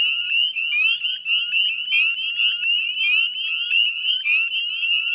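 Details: Northern spring peepers calling en masse at dusk near a Nova Scotia salt marsh in spring; sharp upward-sliding whistled peeps overlap in quick succession, a steady piercing chorus.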